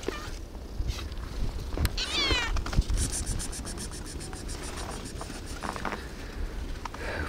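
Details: Hungry cat outdoors on a very frosty day, meowing for food: one short, harmonic, slightly rising meow, then a fast run of regular clicking and crunching noises over a low rumbling background.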